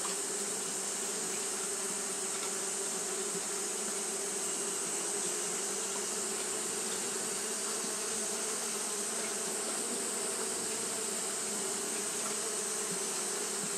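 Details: Hot-day fanning by Japanese honey bees gives a constant droning buzz, its low hum slightly stronger here, steady from start to end with only the colony's sound audible.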